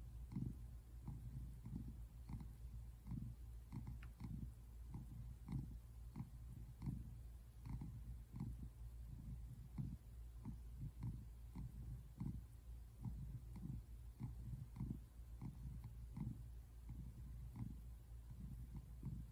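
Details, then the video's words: Tabby American Shorthair cat named Simon relaxing on the couch, recorded February 8, 2024, purring in a long run of regular low throbbing pulses, close and steady throughout. "American shorthair cat | Cat relaxing | Cat purring sounds"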